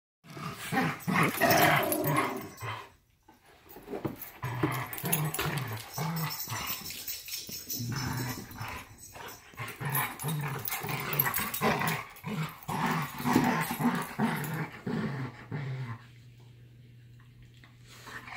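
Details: Labrador and Giant Schnauzer dogs: rough growling and repeated broadband barks in quick irregular bursts, about two a second, with a short pause near three seconds and a steady low hum at the end.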